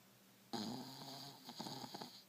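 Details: Buster, a one-year-old male dog, sleeps using a shin as his pillow and lets out a heavy snore, a rough, vibrating drone of over a second that flutters and breaks toward its end.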